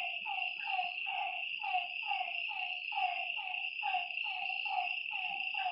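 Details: Lakeside frogs at night call in clustered, falling notes roughly twice per second, the chorus sitting under a steady piercing drone of night creatures.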